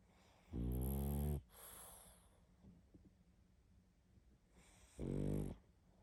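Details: Heavy snoring from a sleeping pug: two long, harsh, vibrating inhalations roughly four seconds apart, soft breaths in the gaps.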